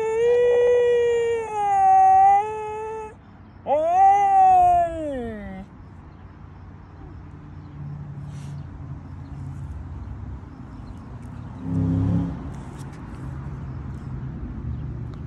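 A corgi gives two long, wavering howls, the second rising and then sliding down.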